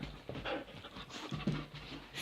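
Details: Riley, a disobedient dog repeatedly ordered to sit, breathes in quick rhythmic pants: short breathy puffs spread across two seconds, with a louder huff near the middle, in a quiet room between spoken commands.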